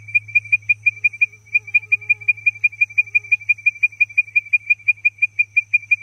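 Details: Advertisement call of the frog Leptodactylus mystacinus: short, bright whistled notes at steady pitch, about three per second in an even, rapid series across six seconds, over a faint constant high hum and a low rumble.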